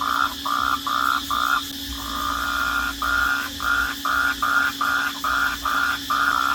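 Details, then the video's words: Night-time cricket chirps: even, ringing pulses repeating about twice a second, broken by a longer pause near the middle, with a steady low electrical-like hum underneath. "Crickets at night sound at Night"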